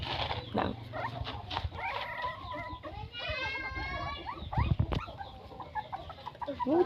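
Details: Newborn puppies from a litter of nine give thin, wavering squeaks and whines that rise and fall, bunched near the middle, amid rustling, soft thumps and brief human voices.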